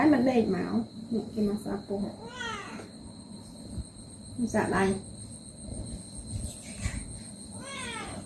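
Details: Pet cats at home during a body massage give short, repeated meows with curved, sliding harmonics, interleaved with a woman's soft speech and faint room hum indoors.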